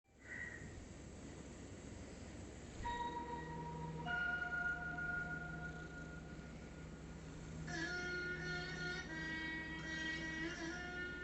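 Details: Chime-like tones ringing out over a steady low hum, with layered bell notes joining partway through and building toward the end.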